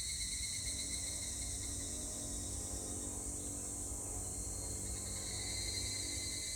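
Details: Evening cicada song from 25 July 2019: ringing pulsed phrases at the start and again near the end, with a continuous high-pitched insect drone and some low rumble throughout.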